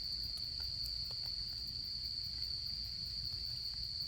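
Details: Autumn insect calls near a campfire form a constant, high, ringing drone without pause, with soft crackling ticks from the fire sprinkled across it.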